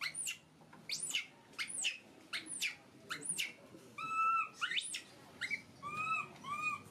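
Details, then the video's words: A baby monkey kept as a pet cries out: piercing screams that sweep upward, repeated roughly once a second, followed by level, tonal whimpering cries with bright overtones; faint room noise underneath. "Poorest baby monkey crying screaming so pity"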